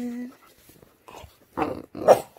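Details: A 5-month-old male English Bulldog puppy, fussy just after a bath, gives a brief, high whine, then low, throaty grumbles.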